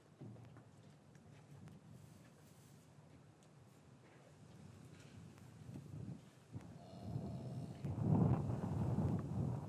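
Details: Cattle in a traditional English farm yard on a winter's afternoon, calves separated from their mothers; low rumbling noise and shuffling, then a deep, drawn-out lowing swells in the final two seconds, recorded with a matched pair of microphones.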